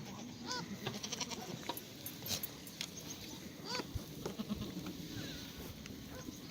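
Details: Black goats in a farm exercise yard in Gimhae, South Korea, on a clear Monday morning, 1 April 2019; short tremulous bleats about three times in quick succession, with clattering and a busy noisy background.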